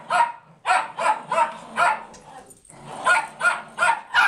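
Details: Two foster Rat Terriers, one wearing a sweater, bark as an Italian greyhound and another dog play; sharp high yapping barks in quick bursts of three to four, a brief pause, then another run of rapid barks.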